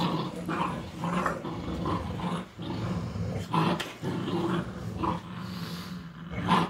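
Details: Playful back-and-forth between a mother dog and her pups during a teaching session: steady, low rumbling growls broken by sharper, higher snarling accents roughly every second.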